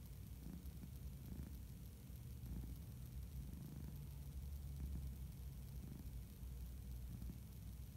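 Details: Napping orange tabby house cat purring: a deep continuous rumble that swells and eases in a slow rhythm about every second, with no other clear sounds.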